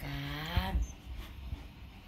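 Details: Female Siberian Husky named Grace, being groomed, gives a short harmonic whining cry that holds steady and then fades within about half a second, followed by low rumbling and faint handling noises.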